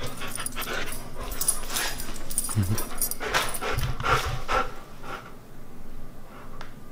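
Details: A Siberian Husky eats raw beef cheek and chicken given as a reward, with loud, broken crunching of bone and wet chewing in uneven bursts; a person's voice is heard briefly.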